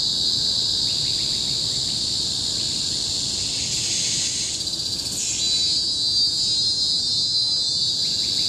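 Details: Tropical forest cicadas at Bukit Timah Hill, Singapore, 2017, make a loud monotonous high whine; around the fifth second the pitch swoops and the tone shifts into a second, steadier shrill layer.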